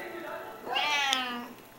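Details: Silver Bengal cat indoors, a mother lying on her back to feed her five hungry kittens; one clear, drawn-out harmonic meow lasting under a second, rising then gently falling, in a quiet small room with soft talk nearby.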